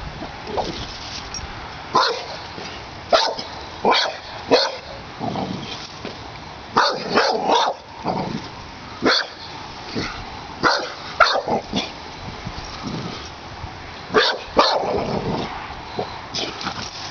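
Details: A Pit Bull barks at a snapping turtle in the yard, objecting to the strange guest; sharp single and paired barks come in irregular bursts over a quieter background.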